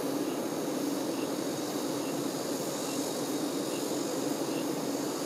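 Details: A colony's buzz as honey bee workers care for the queen: a steady, low, humming drone at constant loudness throughout the few seconds, with nothing else standing out.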